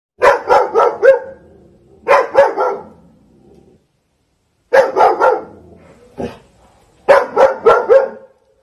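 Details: A Doberman protecting its house barks in rapid, deep bursts while aggressively chasing away monkeys.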